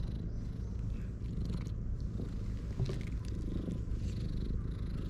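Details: Stray domestic cats gathered in the shade on a cat island, a secret cat meeting; a steady, low rumbling purr pulses continuously throughout, with faint rustling and light outdoor background.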